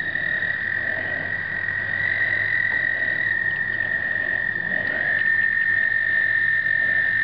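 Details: American toads calling during a 2009 explosive breeding gathering, Canon point-and-shoot recording: several long musical trills overlap, one rising in pitch and rejoining the steady high drone of the chorus.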